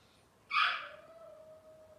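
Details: Cavalier King Charles Spaniel puppies of Robin's litter on an indoor livestream; a short sharp yelp bursts out, then settles into a thin, steady whine held at one pitch for about a second and a half over quiet room noise.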